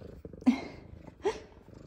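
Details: Two F2 Savannah cats greeting their owner as she comes home from work, indoors; two short, bright meows about a second apart, each rising then falling, over a soft low purring rumble.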